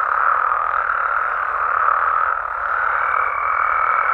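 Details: Dense night chorus of Mexican frogs and toads, overlapping croaks forming a continuous hum, a faint high tone entering in the final second.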